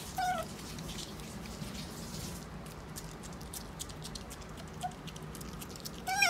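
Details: A pet otter named Sakura, eating lettuce, gives brief, squeaky mewing chirps, a pair at the start, a faint one midway and another pair at the end, over a steady background hiss.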